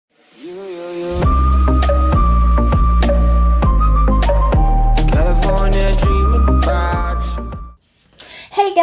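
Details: Loud hip hop style music with a steady bass beat plays, with a little speech at the end.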